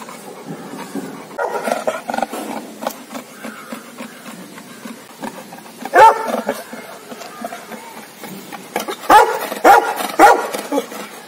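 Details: Aggressive guard dogs, Labrador and Rottweiler pets, barking: a sharp bark near the middle, then three short loud barks in quick succession close to the end, with murmuring background noise between them.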